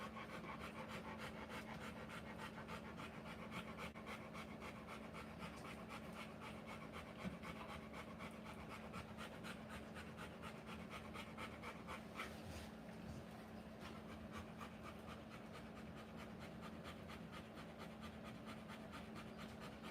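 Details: Rottweiler panting while giving birth to puppies: rapid, steady breathy pants, about four per second, throughout with a constant low hum underneath and a brief louder rustle midway.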